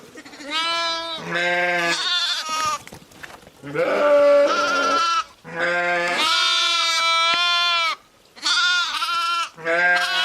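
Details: A chorus of sheep, ewes and lambs together, bleating almost continuously, deeper and higher voices overlapping in drawn-out, wavering calls with short pauses.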